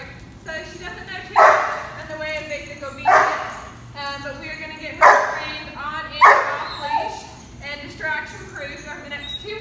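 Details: Five-month-old German Shepherd at a boot camp in Atlanta, Georgia, giving loud harmonic barks about every one and a half to two seconds, with whimpering yips between and a low steady hum underneath.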